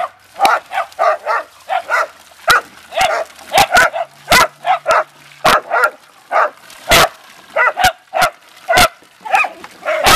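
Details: Beagle and Dachshund family dogs romping in water: a long, steady volley of high, excited barks and yips, nearly two a second, with some overlapping between dogs and a person laughing and calling in the background.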